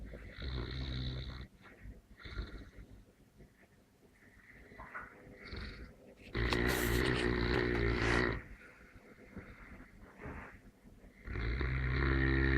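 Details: Sleeping Neapolitan Mastiff snoring unevenly, with short rattling breaths early, then a loud harsh snore around the middle and another rising at the end.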